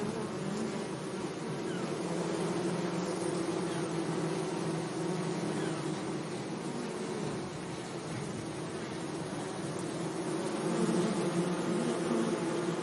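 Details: Meadow bees buzzing among flowers on a sunny day, a low, wavering hum that dips slightly midway and swells louder near the end, over a constant background hiss.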